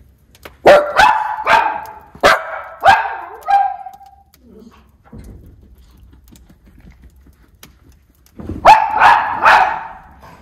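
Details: A white Miniature Schnauzer, one of two brothers stuck inside during a snowstorm on Dec 18, 2022 in Aroostook County, Maine, barks in fast runs of sharp, ringing yaps, some ending in a whine, pausing, then barking again.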